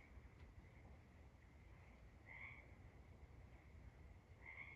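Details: Nighttime tree frogs, two brief sharp chirping calls heard a couple of seconds apart above a continuous faint high-pitched chorus and a deep low rumble.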